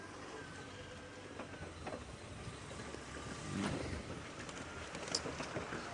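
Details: A vehicle engine rumbles steadily under a wash of broadband noise, with a few short knocks and clicks. No clear animal call stands out.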